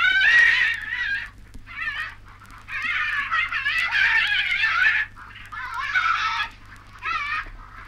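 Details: Tasmanian devil from a 1968 Australian wildlife record: loud, harsh, wavering screeching cries in long bursts of one to two seconds, separated by short quieter gaps, with a steady low hum beneath.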